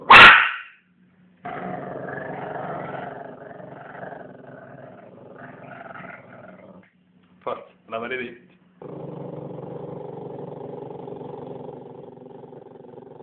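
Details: Pet Chihuahua playing indoors with his new toothbrush, guarding it from being taken back: a loud sharp burst, then long low rumbling growls with a short break in the middle, resuming steadily toward the end; a voice is heard at times.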